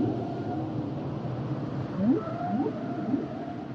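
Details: Humpback whale song: a few short upswept moans rising quickly in pitch, repeated about every half second near the end, over a steady low underwater rumble with a faint higher tonal line.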